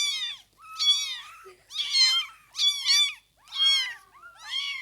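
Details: Newborn kittens in their first days after birth, meowing in a steady series of high, thin, arching cries about once a second, each cry rising then falling, with several voices overlapping and short quiet gaps between bursts.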